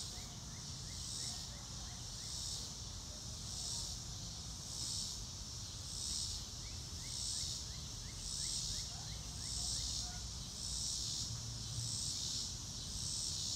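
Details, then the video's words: Crickets in a quiet natural setting: a steady high-pitched insect chorus that swells in soft regular pulses about every second, with faint short lower notes scattered through and a low background rumble. "Nature Sounds - Real Time - No Music - Meditation - Crickets"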